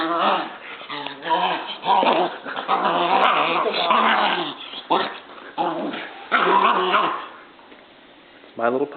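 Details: Indoors, 8-week-old German Shepherd puppy Dierk wrestles with Stella, a year-old black Labrador, producing loud, rough growls and whining yelps in long bursts, with a person's voice mixed in over the tussle.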